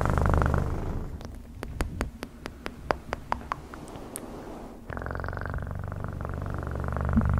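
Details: Domestic cat purring in a low, steady rumble for the first second and again from about five seconds to the end; between these stretches, sharp clicks and taps repeat irregularly against a quieter background.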